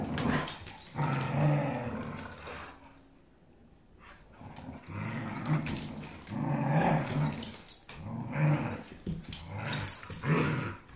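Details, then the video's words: Growling dogs fight over a rope toy, producing repeated low guttural bursts lasting one to two seconds each, separated by short quiet gaps, with snuffling and rustling between growls indoors. "Vicious Dogs Fighting Over Rope Toy"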